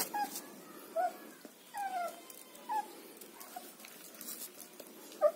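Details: Short falling whimpers from German Shepherd puppies in Chennai, thin squeaky whines coming every second or so over a faint steady hiss.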